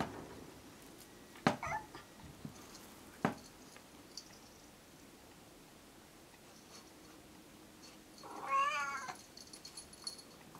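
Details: Stray orange tabby kitten that began appearing near a house, cared for over a year and now tame and nearly a house cat, filmed in the dark. Sharp clicks and knocks come early, then one clear, harmonic-rich meow late.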